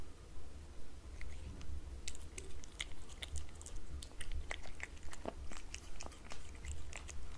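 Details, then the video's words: Cat eating wet cat food from a glass table indoors, with soft wet chewing and bites plus sharp clicks and smacks repeating about twice a second over a low steady hum. "Cat Eating Wet Food ASMR"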